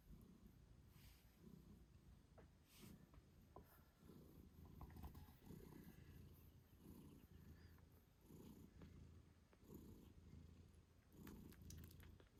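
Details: Mother British Shorthair cat purring as she nurses her kittens eight days after birth, soft rhythmic purr pulses roughly once a second with small rustling and clicking sounds, no music.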